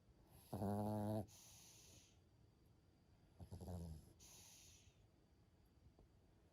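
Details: Maltese dog named Yui snoring while asleep: two rough, buzzing snores with stacked low harmonics, each lasting under a second, followed by softer hissing exhales, quiet indoor background.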